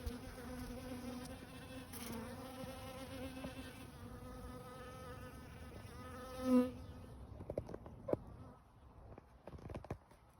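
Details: Bees buzzing at a small garden wildlife pond, a steady droning hum with a low tone and stacked overtones for about six seconds, swelling briefly before it fades, followed by scattered light taps and clicks.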